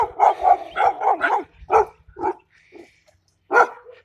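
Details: German Shepherd puppy copying an adult Belgian Malinois, giving a quick burst of high, sharp barks in a row, a pause with a faint whine, then one more loud bark.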